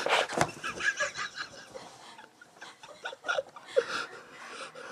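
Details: Staffordshire Bull Terrier named Max, a pet dog, running about in excited, crazy bursts indoors; quick breathy panting comes in uneven noisy bursts, loudest near the start, with faint voices and laughter in the room.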